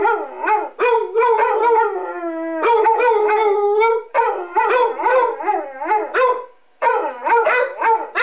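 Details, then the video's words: Pair of Basset Hounds, aged six and eight, howling along with city public address sirens during a monthly test; dense overlapping howls and barks, long wavering notes sliding downward, nearly continuous for several seconds. "Howling Basset Hounds"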